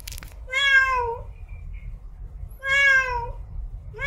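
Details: Female domestic cat in heat calling to mate: two long, drawn-out meows, each bending slightly downward, about two seconds apart, with a third starting at the end over a faint low hum.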